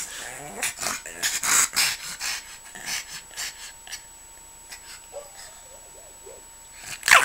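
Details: Pug indoors, seemingly telling its owner to leave it alone: a run of short, rough grunting and snuffling bursts, denser in the first four seconds, then fading, with a sharp noise at the very end.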